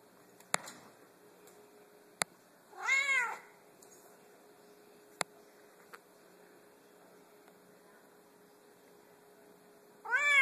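A Savannah cat gives two loud, drawn-out meows that rise and fall, several seconds apart.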